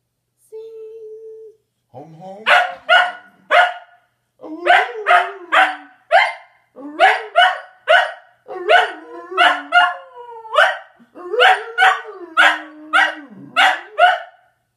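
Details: Pet Scottish Terrier singing when asked to sing the song. A brief held tone comes first, then bursts of short, rough, barking howls in quick runs, with sliding lower tones between them.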